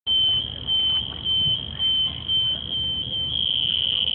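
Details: Cricket at Singapore Botanic Gardens giving a loud, high, narrow-pitched buzzing chirp in short bursts about twice a second, then running together into a steady unbroken trill toward the end; faint low background rumble.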